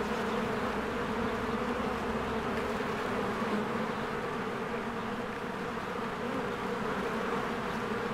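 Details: Bees busily fly in and out of their hive in springtime. A rich, low droning buzz holds steady from start to finish, thick and unbroken, with no other clear sound.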